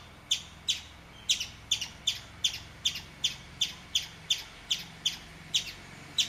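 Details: A chipmunk gives sharp, high chips, repeated steadily about twice a second, while peeing.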